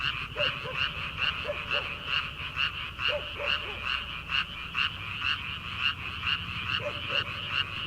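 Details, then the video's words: Frogs calling from rice paddies in early summer, before rice planting: a dense chorus of bright, rasping croaks pulsing about two to three times a second, with scattered short lower notes from other frogs underneath. "초 여름 개구리 울음소리/ 논에서 들리는 개구리 소리"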